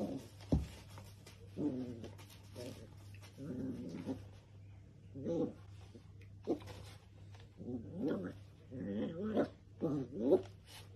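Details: Playful Dachshund giving short bursts of low, rough growls and grunts, some rising and falling, spaced irregularly over several seconds, with a steady low hum underneath throughout.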